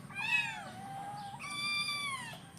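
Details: Hungry kittens at breakfast time: two drawn-out harmonic meows, the first sliding downward, the second longer and level before falling, over a low background hum.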